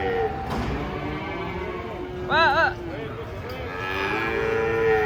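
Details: During the unloading of giant cattle from a truck, continuous long moos rise and fall, with a brief human shout in the middle.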